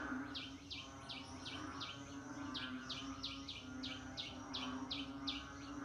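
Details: Frog calling during the rainy season: a steady train of short, high, downward-sweeping notes, roughly two or three per second, over a dense night chorus and a constant low droning hum.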